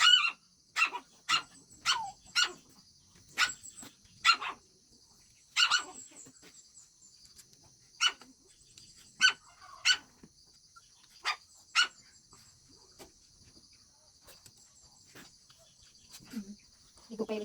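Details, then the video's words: Several Shih Tzu dogs bark in the daytime while playing and eating. Sharp, high yaps come in irregular bursts, roughly one every second at first, then spacing out, with a faint whimper at the close and a steady electrical hum behind. "Shihtzu cute doggies at day time: playing, eating, barking etc."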